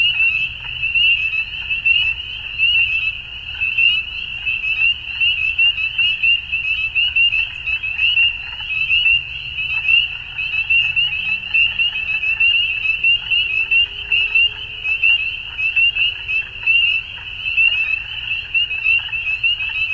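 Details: Ontario, Canada, spring evening: a crowded frog chorus at dusk, sharp high peeps repeating roughly once a second over a constant shrill hum, with occasional faint low tones in the distance.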